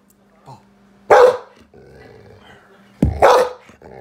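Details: An angry Golden Retriever gives two loud, harsh barks about two seconds apart.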